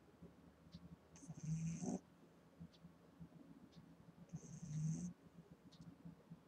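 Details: Female Boston Terrier puppy, eight weeks old, asleep and snoring: two drawn-out, grating inhaled snores about three seconds apart, a high airy whistle accompanying each, soft background between.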